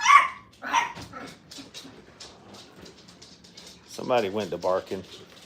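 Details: Five-week-old Brittany puppies in a playpen for the first time give a couple of sharp, high yips at the start, followed by several seconds of human talking in a small indoor room.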